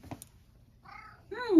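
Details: Sacchan, a male rescued domestic cat born around spring 2019, heading out on a walk in autumn 2023 in Higashiomi, Shiga, Japan, gives two short meows after a faint click; the second is louder, rising then sliding down.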